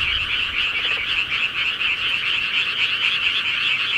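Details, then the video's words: Night chorus of countryside frogs, many callers croaking together in an unbroken, rapidly pulsing high trill that holds steady throughout, with little other noise. "시골개구리 소리"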